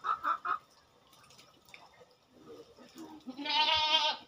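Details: On a goat farm during routine fortnightly work, a few short chicken clucks open, then quiet rustling, ending in a loud, trembling goat bleat under a second long.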